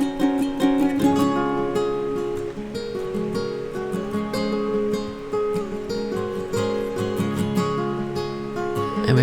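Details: Strummed and plucked acoustic guitar music plays throughout, with no animal sounds audible.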